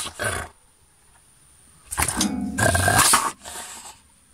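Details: Angry guard dog at a house, caged by day and released into a fenced area at night, baring its teeth and barking to scare intruders and protect territory; deep, harsh growling barks in two bursts, with a steady high electrical whine.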